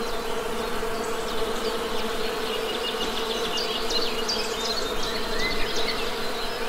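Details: Western honey bees humming in a steady, droning buzz with layered low tones, while thin high bird chirps and twitters scatter across the background throughout.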